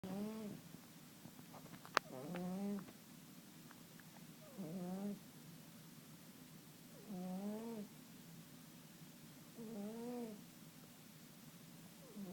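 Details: Sleeping cat snoring: soft tonal, slightly rising-falling nasal wheezes about every two and a half seconds, five breaths in all, with one sharp click early on over a low steady hum.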